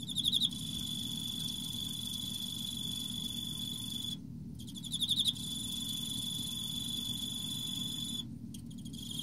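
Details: Autumn Emma field cricket singing: bright pulsed chirp bursts at the start and midway, a continuous high ringing tone between, two short silent breaks, low rumble underneath.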